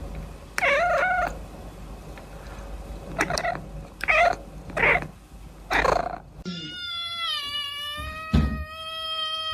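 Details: Cat from a funny cat compilation: several short, harmonic meows in quick bursts over the first six seconds, then one long, steady, drawn-out meow, with a few soft thumps underneath.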